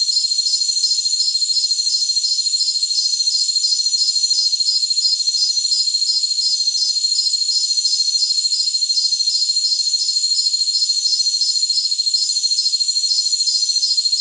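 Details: Continuous jungle cricket sound meant for tinnitus masking: regular high-pitched pulses, about three a second, stream unbroken beneath a bright whining hum. Occasional faint hiss bursts are mixed in.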